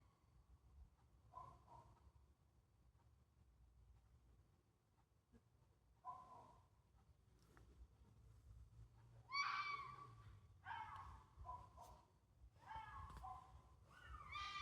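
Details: A fox in Sheffield, UK, recorded on 26 August 2024, gives harsh, hoarse screaming calls in separate bursts that grow louder and closer together.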